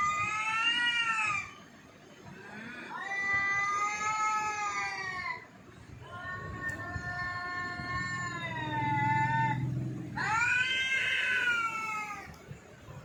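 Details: Four drawn-out yowls from Jaggu the cat, each one to three seconds long, wavering and bending downward at the ends, separated by short pauses with a low background rumble.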